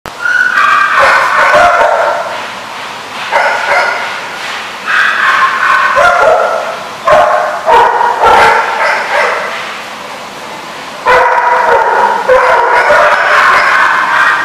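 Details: Dogs recorded on 7/3/15 in a chorus of high, harmonic yips and drawn-out whining howls. Several voices overlap in loud bursts separated by short pauses, with rapid, uneven repeats throughout.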